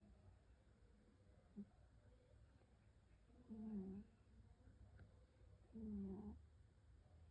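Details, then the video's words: Sleeping cat snoring softly in its sweet sleep, two low, buzzy snores about two and a half seconds apart over a quiet room hum, with a faint click between them. "Cat Roncando en su dulce sueño"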